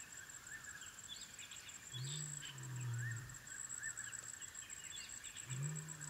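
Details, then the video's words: African wild dog puppies at their den, giving low, drawn-out moaning calls, one near the start and another near the end. A steady insect drone and repeated rising whistles from birds run throughout. "The sounds of African wild dog puppies at their den"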